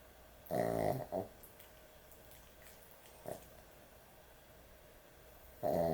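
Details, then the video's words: Dog asleep and snoring excessively at bedtime; a long grating snore with a short follow-up snort, a brief faint one midway, then another loud rasping snore starting at the end. "코골이 강아지의 취침시간"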